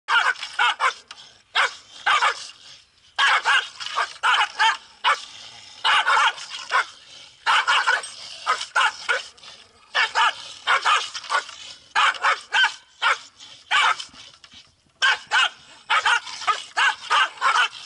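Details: Pungsan dogs in South Korea quarrelling, fighting day after day over home turf: rapid bursts of sharp barks, clustered in quick runs of three to six with brief pauses between volleys.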